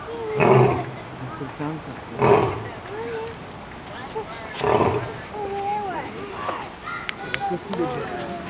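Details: Lion at Zoo Atlanta roaring: loud, deep, broad grunting roars repeated roughly every two seconds, fading into quieter calls, with people talking in the background.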